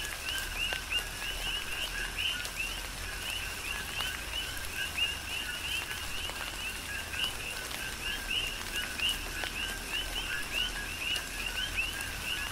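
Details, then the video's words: Tropical rain on the Big Island of Hawaii with a dense chorus of coqui frogs: short low notes each followed by a higher upswept chirp, repeated continuously, while rain falls steadily with scattered drop impacts. "Tropical Rain & Coqui"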